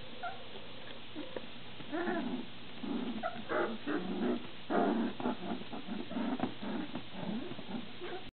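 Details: Several standard poodle puppies indoors, just finished eating their first gruel; soft whimpering and grunting yelps come in short overlapping bursts throughout, with quiet room noise underneath.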